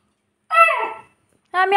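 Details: Saint Bernard dog, apparently named Golu, left locked alone in a room: a drawn-out harmonic whine sliding downward for about half a second, then a second whine breaking off abruptly, with a person's soothing voice nearby.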